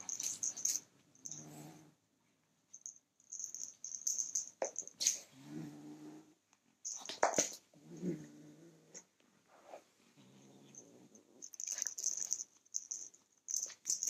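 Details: Kitten defending his toy as a person reaches for it, giving three separate low, throaty growls, each about a second long and rough-edged, broken up by loud rustling, scraping and thumps.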